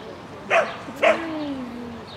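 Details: Agility Sheltie Lesya, spring 2016 course on 22 May 2016: two quick, piercing barks half a second apart, then a thin, drawn-out whistle-like tone gliding slowly downward.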